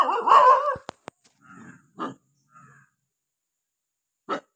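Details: Angry dog, opening with a loud, harmonic, wavering cry, then brief clicks and a few lower barks, one last sharp bark after a pause.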